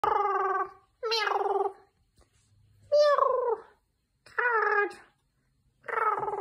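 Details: Domestic kitty meowing repeatedly: five drawn-out, harmonic-rich meows, each under a second long, spaced about one to one and a half seconds apart, some rising then falling in pitch, with quiet pauses between.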